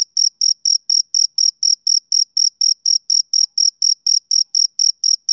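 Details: Rhythmic high-pitched chirping from a male cricket in summer evening, short pulses repeating at a regular clip of about three to four per second, nothing else audible.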